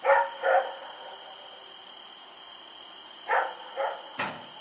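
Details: , a dog running around at night on October 7, 2018, gives two quick barks, falls silent, then barks twice more; a brief sharp click ends it, over a constant high-pitched hum.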